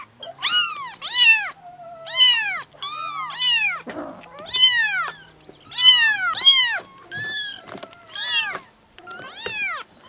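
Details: Repeated high kitten mews meant to draw a cat close for cuddling, arched calls tumbling in rapid pairs and triplets almost without pause over ten seconds, one soft lower rustle midway.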